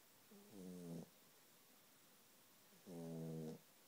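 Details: Sleeping puppy snoring indoors: two short, nasal, harmonic-rich snores, each about half a second long and roughly two and a half seconds apart, over quiet background hiss.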